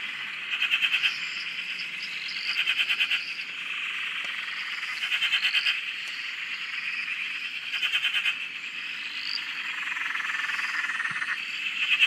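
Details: Australian dam frog chorus heard from a shack, a steady high trilling background with short bursts of rattling pulsed croaks about every two to three seconds and occasional faint whistled notes above.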